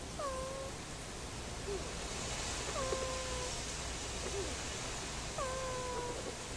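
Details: A Boston Terrier puppy from a litter snores in its sleep, each breath carrying a short whistled tone that dips then holds steady, recurring about every two and a half seconds over a soft hiss.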